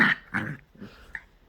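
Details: Pet poodle being asked to give its paw answers with a loud nasal grumble, a second softer growly burst, then a faint whine and a brief high yip, indoors in a small room.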